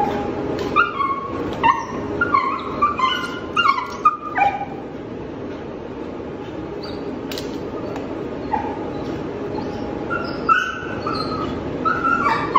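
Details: Five-month-old Belgian Malinois puppy throwing a tantrum, rolling and resisting as a leash and collar go on: clusters of high, wavering whines and sharp yelps through the first seconds, a quieter middle, then more whines near the end over a steady background hum.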